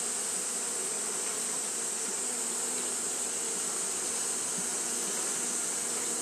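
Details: Steady, unvarying drone of Japanese honey bees fanning through a hot day, with low humming bands and a sharp, even hiss on top.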